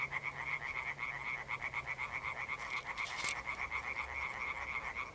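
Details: Evening concert of European tree frogs, a rare amphibian, on 1 June 2021; fast rattling croaks about four per second, pulsing evenly in overlapping voices, one sharp click in the middle and a faint low hum underneath.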